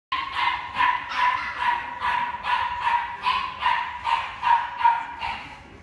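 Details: Chihuahua barking in a fast, regular series, about twelve sharp high yaps in six seconds, each bright and evenly spaced.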